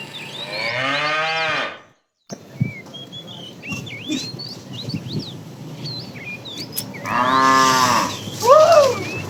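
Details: Roadside tame cows foraging for food; a harmonic moo opens, then a break filled with many chirping bird calls, followed by a second moo and a short rising-falling bird whistle.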